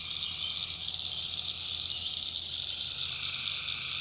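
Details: Many tree frogs trilling together after dark in the backwoods of North Carolina, a continuous high, buzzy chorus with a steady pulsing texture and a quieter mid-pitched voice entering in the second half.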